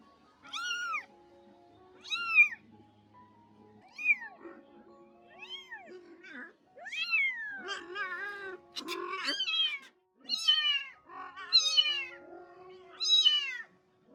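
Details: Domestic cat, a rescued mother cat caring for her kittens before and after being spayed: a long run of high, rising-then-falling meows, each about a second long. Calls come in a regular series and grow denser and shriller toward the end, with soft music underneath.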